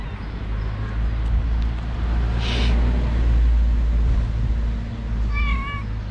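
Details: A domestic cat household in which a mother cat refuses to nurse her four mischievous kittens. A single short harmonic meow rises and falls near the end, over a steady low rumble and faint background hiss.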